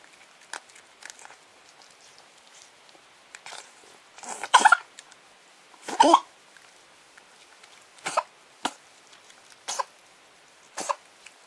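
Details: Masked palm civet choking on dog food, giving harsh broadband coughing bursts at irregular intervals, a few loud splutters near the middle followed by several smaller coughs, in an otherwise quiet setting.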